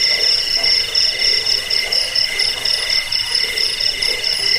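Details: Cricket chirping used against rats, for sleep and for bird training: short run of fast high-pitched pulses, ringing and continuous, over a softer lower buzzing band.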